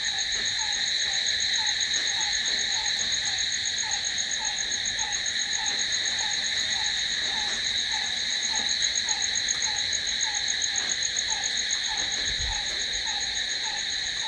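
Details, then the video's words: Crickets at night produce an unbroken, shrill, pulsing trill lasting the whole stretch, over which a lower short note repeats steadily about every 0.6 seconds. "Cricket sound"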